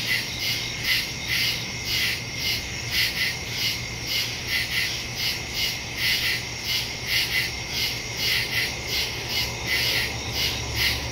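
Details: Night chorus of crickets in woodland, captured on September 2 by phone with a stereo microphone: rapid high-pitched chirps pulsing in overlapping waves, several callers blending into a continuous shimmering texture over a faint low hum.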